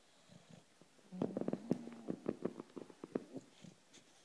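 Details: Female British bulldog Loulou asleep indoors, giving a burst of rapid, rattling snorts and fluttering throaty grunts lasting about two seconds, between quieter breathing.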